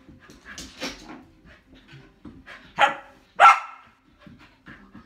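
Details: A seven-month-old Samoyed puppy running zoomies lets out two short, sharp barks a little over half a second apart, amid soft panting, scrabbling paws and a woman's voice counting the time.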